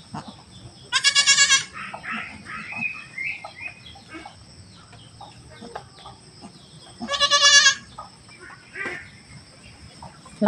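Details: Household goat right after delivering a kid; two loud, wavering, high-pitched bleats about six seconds apart, each under a second long, with quiet Tagalog conversation and a low background hum between them.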